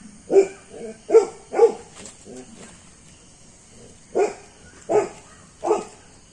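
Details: German Shepherd puppy giving short, mid-pitched barks, three in quick succession, a pause, then three more, with quiet background hiss between.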